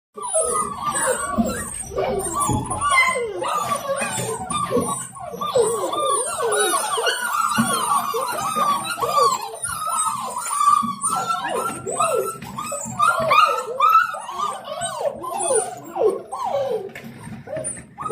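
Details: Seven-week-old Dalmatian puppies greeting their owner home from work, a dense overlapping chorus of high arching whines and yelps from several pups, continuous and excited throughout.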